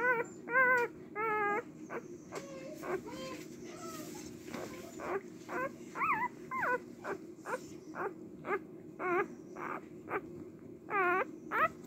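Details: Female Cardigan Welsh Corgi puppy born on March 18 giving repeated thin whimpers and squeaky whines, some wavering and harmonic-rich, in irregular bursts roughly twice a second, with faint rustling and a constant low hum behind.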